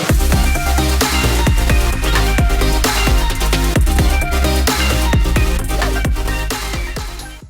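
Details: Loud electronic dance music with heavy bass and fast drums, and no animal sounds.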